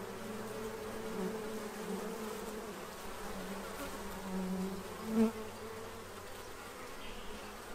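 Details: Hum of bees feeding to prepare for winter in Central Illinois: a low continuous drone with layered tones, a brief louder swell near five seconds as one passes close, faint calls higher up.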